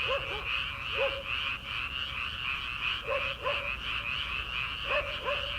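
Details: Rice-paddy frogs in early summer, before the rice is planted. Low, twangy croaks come in quick pairs at intervals of one to two seconds over a constant high-pitched trilling chorus.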